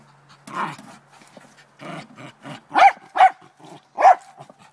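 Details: Trina, a Lakeland Terrier, goes after a chipmunk in a downspout in the morning; snuffling and scraping sounds give way to three loud, clipped barks near the end.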